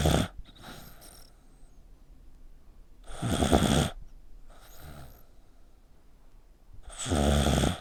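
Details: ['Sleeping dog, neck bent tightly, snores much like a human: rough, noisy rasping breaths arrive in bursts about every two to four seconds, some louder and longer, with quiet pauses between them in a small room.']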